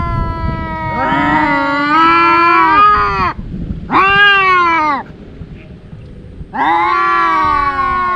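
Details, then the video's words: Fighting domestic cats, two brothers who clash daily, give loud drawn yowls: a long wavering wail, a shorter falling one, then a pause before another rising howl begins. "Cats Fighting and Meowing"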